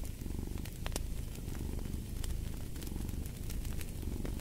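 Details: Domestic cat purring steadily, a low, rapid, rumbling vibration that swells and eases with each breath, while a fireplace crackles and pops with sharp snaps throughout.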